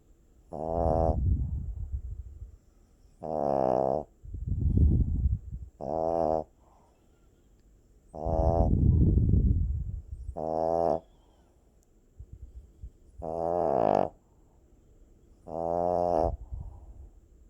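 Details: A sleeping puppy snoring: loud, buzzy, harmonic inhaled snores alternating with breathier low rumbling breaths, about one sound every second or two, in a quiet room.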